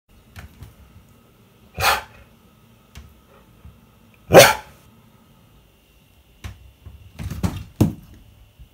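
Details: Key, a stubborn Siberian Husky, refusing to pose for a selfie: a loud harsh bark near two seconds, a louder one at four and a half, then a cluster of shorter gruff barks and grumbles toward the end, with quiet gaps between.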